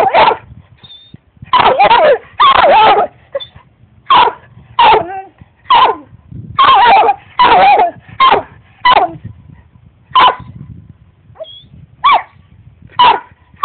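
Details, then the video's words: Barkley the dog keeps barking at the cat: a long series of about fifteen short, sharp barks, some doubled, spaced roughly every half second to a second, with faint household rumble beneath. "Barkley barking at the cat"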